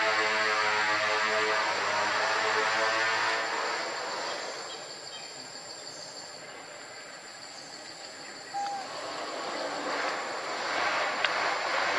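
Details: Steady mechanical rumble and hiss like a passing train fill the recording, fading slightly midway. No clear animal call can be picked out.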